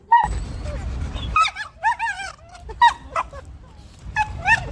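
A beagle gives a string of high, wavering whines and short yips with quick rising and falling pitch.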